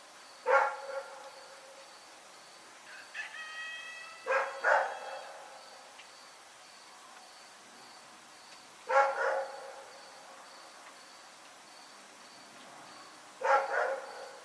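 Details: Rex, a dog, barking at night: single loud harsh barks spaced about four seconds apart, with a brief second yelp following some, over a steady faint high hum.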